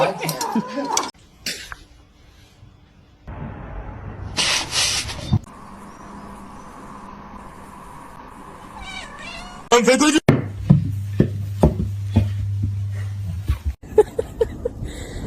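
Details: Pet cat giving a few wavering meows amid choppy edits, with human speech, thumps and a low steady hum in the background.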